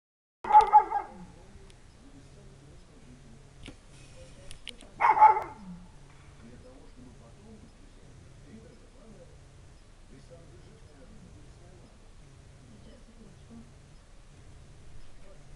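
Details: 1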